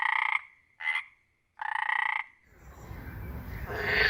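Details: Wild frogs giving short buzzy pulsed croaks, three in quick succession, followed by rising rushing background noise.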